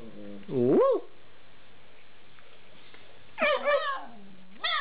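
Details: Alaskan Malamute puppies, eight weeks old, 'talking': a rising-then-falling arched whine near the start, a pause, then a wavering multi-part howling whine with a short upturned squeal at the end.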